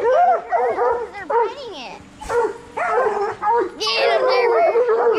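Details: Coonhounds of bluetick and black and tan breeds, trained to hunt raccoons, yelp and bawl in clustered bursts, with high whining squeals and a brief quieter gap midway.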